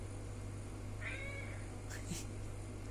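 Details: A domestic cat in New Zealand gives a short, drawn-out meow, then a brief second one, answering its owner's question "Would you like meat?"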